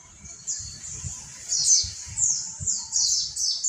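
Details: A short burst of ombyokan-style mountain white-eye song, used as training material; thin, very high, smeared descending notes over soft low thumps.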